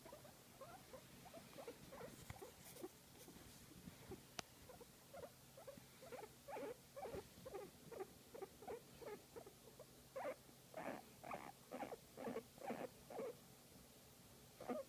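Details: Guinea pig being massaged makes soft, rapid squeaky pulses, quiet at first, then louder and more regular toward the end. A single sharp click is heard early on, with a faint low hum throughout.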